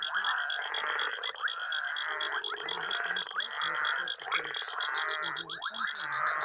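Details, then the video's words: Night chorus of frogs and toads in Uganda: dense overlapping croaking and rattling calls, with a fast high pulsed trill running across the clip. "Frogs and Toads, Uganda's night sounds"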